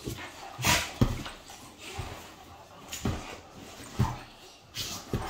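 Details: Playful tussle between two Great Danes, male and female: sharp, breathy growls and snorts at roughly one-second intervals, some bursts loud and noisy, with thumps of bodies in between.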